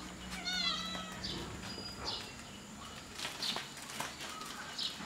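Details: Kittens in a playful fight, with a high thin meow rising and falling early on, followed by short squeaky mews and soft scuffling noises spread across the remaining seconds.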